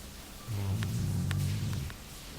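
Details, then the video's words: A single rumbling snore from the sleeping Labrador Jully, deep and buzzy and lasting about a second and a half, in a quiet indoor setting. "Labrador roncando."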